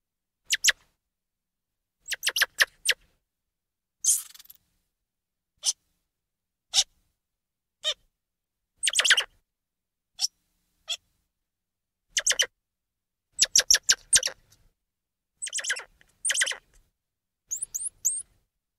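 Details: Squirrel monkeys giving repeated high, sharp chirps in short bursts, some stacked and buzzy, others single clipped squeaks, spaced irregularly every second or two, ending with a few thin upward-sliding peeps.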